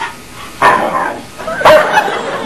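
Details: Domestic dog 'talking' back to its owner, giving two short strained yowling vocalizations about a second apart, with a person speaking softly around them.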